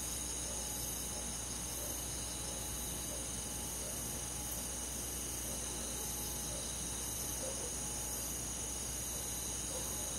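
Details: A summer night in a rural forest, alive with crickets and other insects: steady, shrill, multi-layered trilling with a faint rhythmic pulse, unchanging throughout, over a low droning background.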